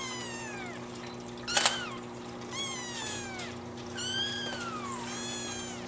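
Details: Baby Singapura brothers, born 25 December, waddling around exploring as a pair; a run of high descending kitten mews, roughly six calls, with one brief sharp clatter near the start and a low background hum.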